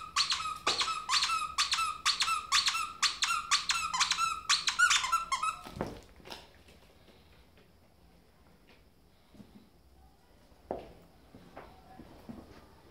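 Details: Pet ferret hopping like a dog in a small room: a rapid, even chain of high squeaks for six seconds, then near quiet with a few soft knocks.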